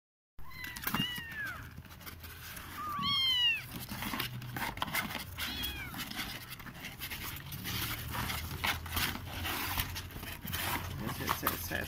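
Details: Siamese kittens in a box give a few thin, high meows that rise and fall, spaced a couple of seconds apart and fading later, over steady background hiss and a brief voice.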